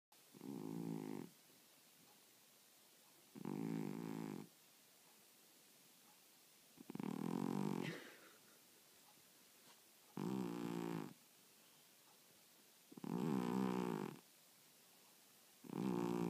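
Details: A sleeping cat snoring steadily: six low, rasping, buzzy snores, each about a second long, repeating roughly every three seconds with quiet breaths between.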